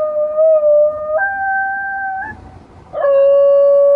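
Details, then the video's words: Basenji dog howling as if imitating a tornado siren: a long, steady mid-pitched tone that jumps higher at about one second and holds, fades briefly, then resumes at the lower pitch and sustains to the end. "Basenji tornado siren"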